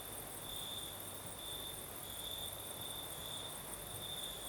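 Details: In southern Crimea at night, crickets keep up a continuous high, thin trill with slight pulsing swells, over a steady whoosh of the night breeze.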